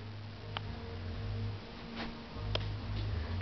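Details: A quiet indoor hum is broken by a few faint ticks and light tapping.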